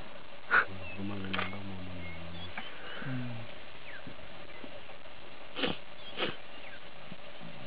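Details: Lioness trying to lure an uninterested male lion to mate: low, rumbling moaning grunts in two long drawn-out bursts early on, then quiet, with a few sharp clicks and faint background sounds.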